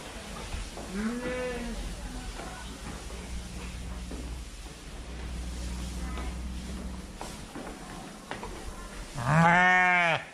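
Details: Fluffy sheep giving two quavering, nasal bleats, a moderate one early on and a louder, trembling one at the end, with a steady low hum and faint clicks between them.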